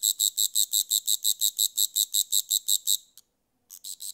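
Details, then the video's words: Rapid series of sharp, high rasping pulses from a grasshopper, about five per second for three seconds, then a half-second silence before a quieter train begins again. "Grasshopper Sounds"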